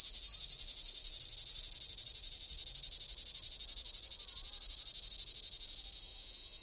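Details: A summer cicada's loud, steady buzzing song, high-pitched and pulsing rapidly without a break.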